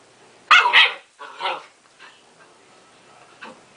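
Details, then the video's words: Domestic dog barking at its mirror reflection as if at another dog; a quick double bark followed by a softer third bark, then quiet with a faint later yip, indoors. "baby barking at mirror"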